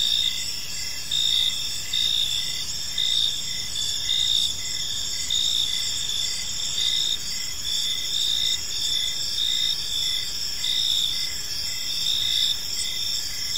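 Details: Crickets chirping in a park on an evening, a dense chorus of high, steady trills with pulsed bursts of chirps recurring roughly every second or two over faint low background hum.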